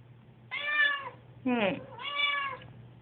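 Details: Susie the cat, nervous on moving day, gives a quick run of meows: a long harmonic cry, a rougher swooping one, then another sustained meow, a person's voice mixed in over a low hum.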